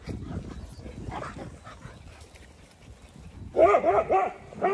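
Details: Playing dogs on a County Kilkenny farm in Ireland: after a stretch of low rumbling noise, a quick series of sharp, tonal barks arrives near the end, about four in rapid succession.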